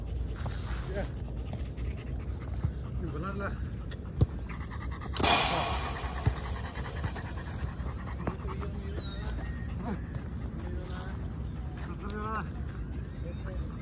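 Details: Ten-month-old German Shepherd panting with steady, breathy, rhythmic huffs. Human voices talk over it, and a sharp broadband burst of noise cuts in near the middle.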